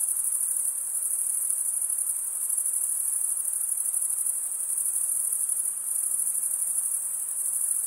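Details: Crickets chirping, the males stridulating with their wings, form a constant high, finely pulsed trill at even volume throughout, with nothing else audible.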